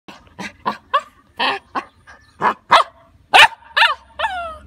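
A Labrador mix puppy gives a quick run of high, yappy barks, some rising into whiny yelps.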